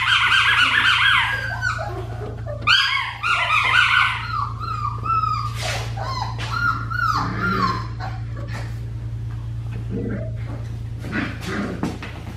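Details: Four-week-old Australian Shepherd puppies, one a black tri female, indoors: dense overlapping high whines and yips, several pups calling at once, busy at the start and thinning toward the end over a constant low hum.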